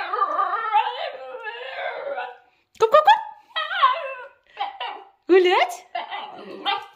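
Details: Female basenji talking back before a walk: a long warbling yodel followed by a string of short rising yelps and whiny bursts, irregularly spaced, mixed with a person's speech indoors.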